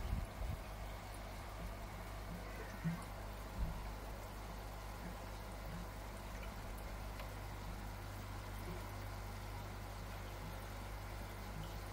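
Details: Steady low mechanical hum with faint trickling water and scattered soft knocks, no animal voice heard.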